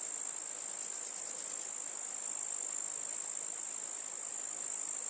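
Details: Grasshopper chirping: a steady, high, hissing buzz that runs unbroken through the whole stretch, with faint rapid pulsing inside it and no other sounds.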